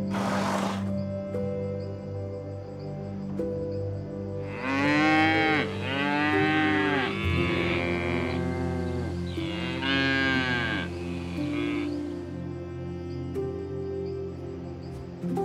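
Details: Cow lowing in a run of drawn-out, arching moos, several bellows in close succession over about eight seconds, each rising and then sinking in pitch, set against steady sustained background music tones throughout.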